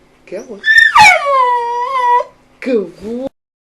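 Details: Jambo, a pet dog aged eight, giving a drawn-out, rich, harmonic yowl that bends down and holds steady, mimicking 'hello', framed by short low human-like voice sounds before and after.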